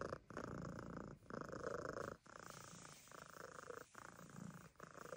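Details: A Siamese cat at a farm animal sanctuary purrs loudly, a deep steady rumble broken by brief pauses about every second.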